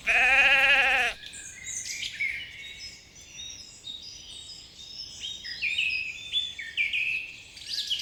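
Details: On a spring meadow where sheep graze, one loud, quavering bleat opens the recording and lasts about a second. Busy twittering and whistled birdsong then carries on alone.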